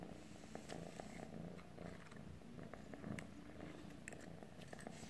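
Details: A steady, low, throbbing purr from a calico cat purring to a stick. The deep vibration holds without a break, with occasional soft ticking sounds on top.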